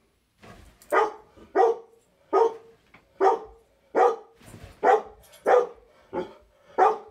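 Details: A black Labrador Retriever barks in a steady series of loud, full-bodied woofs while watching a Weimaraner get the zoomies.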